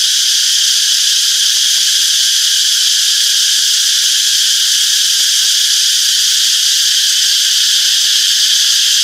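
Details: A continuous shrill drone of cicadas fills a peaceful summer forest, high and even, with a subtle quick throbbing inside the buzz and nothing else standing out.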